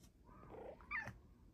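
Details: A female Bengal cat, just after a nap, gives a soft, drawn-out meow and then a brief higher chirp, reaching out for more petting when her owner stops.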